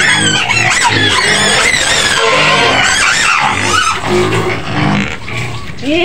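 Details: White pigs screaming in their pen on the outskirts of Medan, Indonesia: loud, continuous, overlapping high squeals and shrieks with no pause, while a woman's voice repeatedly urges them to be patient.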